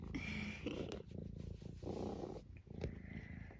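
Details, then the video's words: Eric, a vocal senior tabby cat from Great Britain nearly 12 years old, entertains himself indoors on a wet, blustery day: steady low purring with short squeaky chirps breaking through, a woman's voice nearby. "Eric and his random squeaks"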